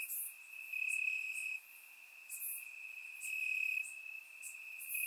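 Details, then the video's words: Crickets chirping in the grass on a warm summer night in Bulgaria, recorded with a surround microphone; a steady high trill holds throughout, swelling louder in bursts of about half a second to a second, with faint brief higher ticks above. "Cricket Sounds - Crickets Chirping at Night"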